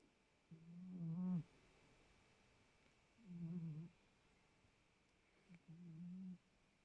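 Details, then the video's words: A domestic cat named Noirette snoring soundly indoors: three low, nasal breaths about two to three seconds apart, each a steady hum with faint rising harmonics, separated by quiet pauses. "Noirette ronfle bien"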